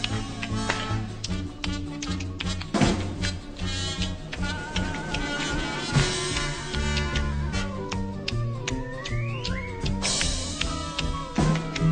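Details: Lively Latin-style music with brass and percussion plays throughout, with no animal sound.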